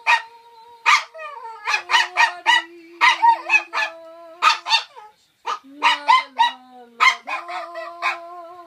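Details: A toy poodle joins in as its owner sings, yipping rapidly and unevenly, about four times a second, with short gaps, while a person holds a low, steady note beneath.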